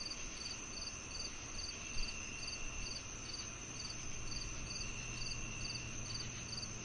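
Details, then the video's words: Crickets and cicadas: regular high-pitched chirps near two per second over a steady insect drone, with a low hum and one brief soft thump. "The Cricket Sounds"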